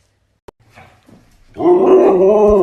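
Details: Siberian Husky talking indoors: after soft clicks and quiet rustling, a sudden loud, sustained, harmonic vocal starts, a wavering drawn-out 'woo' with slight pitch bends that runs to the end, followed by laughter.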